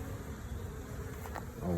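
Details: A low, steady hum of many honey bees, nurse bees started from six frames in a hive after grafting, buzzing together, with a brief human voice near the end.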